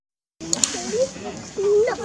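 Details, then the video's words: Baby monkey Lizza, a wild monkey in the forest of the Angkor Park area, cries loudly to call its mother because it is hungry: thin, wavering tonal wails, then a longer drawn cry that rises sharply at the end, with brief clicks early on. "Poor baby Lizza cry & cry loudly, Lizza cry to call mom& hungry"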